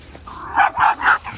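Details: A pet dog gives three short, sharp barks in quick succession, each about a fifth of a second long and evenly spaced, mid-pitched and slightly yelping, over a quiet indoor background.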